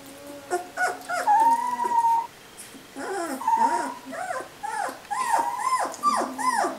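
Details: Three-week-old puppies, recorded on July 13: overlapping thin whines and squeaky whimpers, some drawn out and wavering, others short and bent, from several pups at once over a soft hiss.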